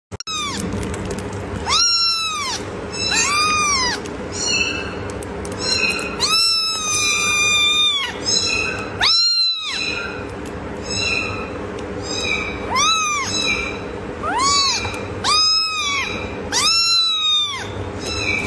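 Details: Tiny kitten giving cute meows: a steady series of high, arched mews, roughly one or two per second, each rising then falling, over a constant low hum.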